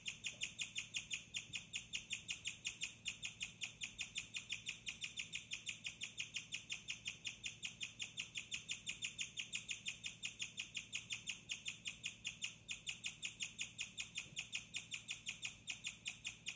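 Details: Pet guinea pig Bella chirps after dark in her cage beside a cage-mate, with hay, lettuce, water and pellets. Her bright, high-pitched chirps repeat rapidly and without pause, nearly three a second, with little else audible.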